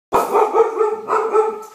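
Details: Husky mix dog talking to her owners, telling them she is hungry and wants her food: one drawn-out, wavering, yodel-like moan with a brief dip in the middle, steady and tonal throughout.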